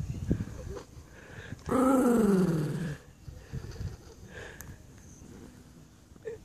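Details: Female Jack Russell Terrier annoyed at her owner while eating a chew: one drawn-out, falling whine-growl lasting about a second, with quieter rumbles and handling noises around it.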